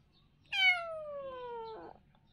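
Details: Playful kitten giving one drawn-out meow that starts high and slides steadily downward for over a second, closing with a brief rougher flutter; otherwise a quiet indoor setting.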